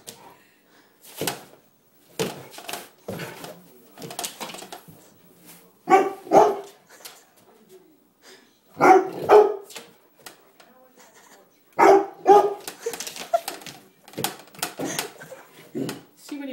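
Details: Puppy playfully fighting a broom indoors, giving short sharp barks and yips in bursts every few seconds, with scraping and thumping between them.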